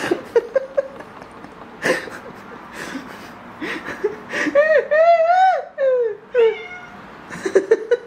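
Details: Indoor cat near foxtail grass: a few short chirps, then one long drawn-out meow that rises, holds and falls over about two seconds, followed by a shorter meow and more quick chirps.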